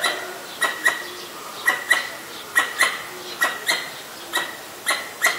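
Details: Pallas's squirrel sounding off at danger, Ubon Ratchathani, Thailand, 1 January 2023, Nikon P1000: paired sharp chucks with a ringing edge, repeating roughly once a second, over quiet ambient background with distant birds.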